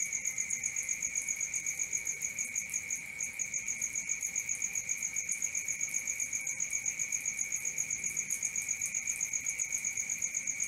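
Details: At night, a cricket keeps up a continuous, rhythmic high chirp, pulsing about four times a second at a fixed pitch, with a thin metallic overtone on top and a quiet background.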